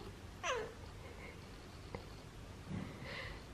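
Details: Tofu, a male Siamese cat kept as a pet, answering its owner indoors with one short meow that slides downward in pitch, followed by quiet room sounds and a soft murmur.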